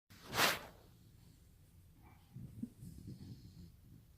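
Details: Sleeping Rottweiler puppy snoring: a sharp, breathy snort-like exhale near the start, then a quiet pause and several low, rough rumbling breaths in the second half, in a quiet indoor setting.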